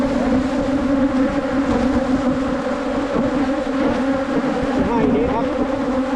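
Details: Continuous buzzing drone from a wild Asian honey bee colony met while honey hunting in 2022, a low steady hum with rich overtones and a brief human voice near the end.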